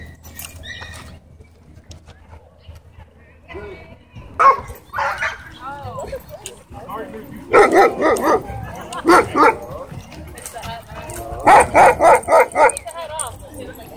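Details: Wolfdog threatening a man at a dog park, giving loud, harsh barks in short bursts, a pair around seven to nine seconds and a rapid cluster near twelve seconds, over people talking.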